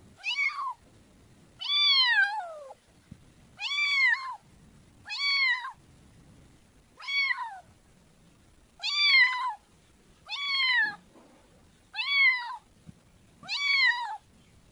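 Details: Kitten meowing repeatedly, about nine clear harmonic meows roughly every one and a half seconds, each rising then falling in pitch, with quiet gaps between.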